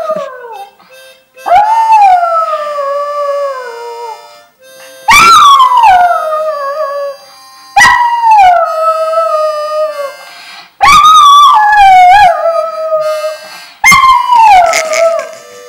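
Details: A singing dog gives five long, drawn-out howls that slide down in pitch, each lasting two to three seconds with pauses between. Steady, sustained instrumental tones sound along with the howls.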